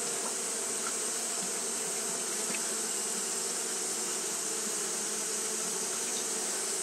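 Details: On a hot day, Japanese honey bees keep up fanning behaviour, heard as a thick continuous hum with faint brief ticks and a persistent high-pitched hiss.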